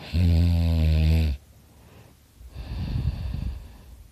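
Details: Dakota, a pet dog, fast asleep and snoring very loudly indoors: one long, deep, droning inhaled snore with a rich buzzing tone, then a softer, rougher breath out.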